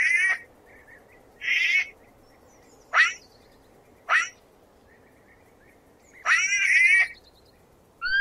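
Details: Sloth giving a run of six high, harmonic squeaks at uneven spacing over eight seconds, some short and sharp, others longer and wavering, with a near-silent background between calls.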